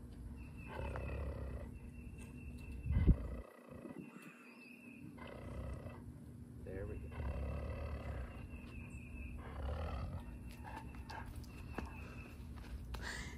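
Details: A male Alaskan Malamute that tends to limp gives low, rumbling growls in long drawn-out bouts during a massage, as people talk softly nearby; he growls but then turns around smiling.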